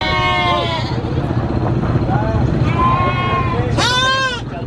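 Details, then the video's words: Goat on a farm, screaming: loud wavering bleats with rich harmonics, a long one at the start and a sharp, high, shaky bleat near the end, over steady low rumbling and background noise. "GOAT SCREAMING"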